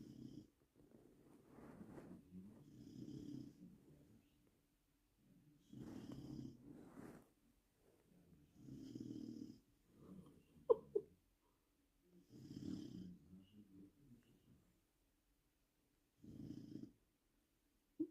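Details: Bruno, a Labrador Retriever in a family in Poland, snoring loudly: broad rasping snores about every three seconds, each a swelling breath of low, rough noise, separated by near silence, with a couple of brief clicks near the middle.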